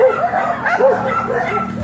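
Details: Labrador Retriever during a stud session at a roadside in Dagupan City, Pangasinan, giving a run of short, arched, whiny yelps, four or five in under two seconds, with a low background rumble.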